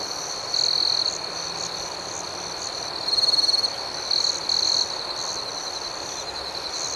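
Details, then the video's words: Night chorus of crickets in a tranquil outdoor setting: a constant shrill trill with several louder bursts standing out, one early, a fast pulsing run midway, then two quick chirps close together. "Soothing Cricket Sounds"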